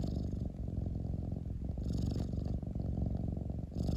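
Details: Domestic cat purring, a continuous low rumbling throb with steady pulsing texture throughout, brief softer dips near one and a half and three seconds, no other clear sounds.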